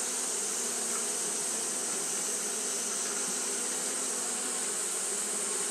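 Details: Fanning Japanese honey bees in hot weather make a continuous whirring drone that stays level throughout, backed by a steady high-pitched hiss.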